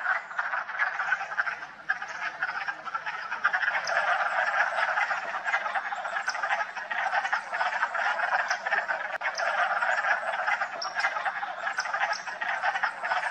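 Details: Many wood frogs gathered at a vernal pool in West Hill Park and Dam on March 14, calling in spring: thick, unbroken chorus of rapid, raspy clucks and chuckles, overlapping without pause, with faint higher clicks scattered throughout.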